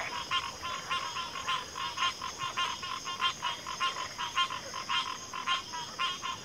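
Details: Dense frog chorus: rapid, rhythmic pulsed croaks repeating almost twice a second, loud and continuous, layered over a steady high-pitched drone.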